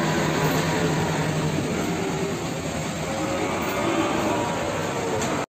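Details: Steady, loud broadband roar of engine and traffic noise at a morning cattle market, cut off abruptly near the end, with no animal voices standing out.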